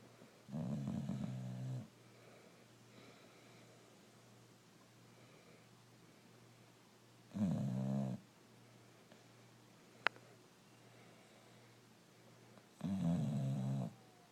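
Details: Male brindle Boxer, Rocco, sleeping and snoring steadily indoors; three deep, buzzing inhalations come about every five to six seconds, with one sharp click between them and a quiet background.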